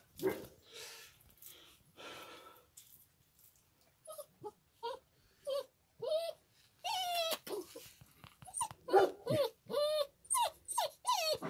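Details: Kangal puppies making repeated high whining yelps and whimpers, rising and falling in pitch, several short cries in a row, with some human voices in the background.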